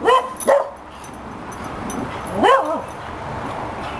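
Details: A young 2-year-old Cocker Spaniel gives short, tonal howling yelps that rise and fall in pitch, sounding like an old dog.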